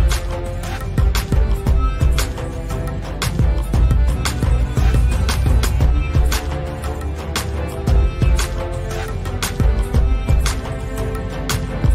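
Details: Steady, beat-driven background music with a deep bass and regular percussive hits fills the whole stretch; no animal voice is audible.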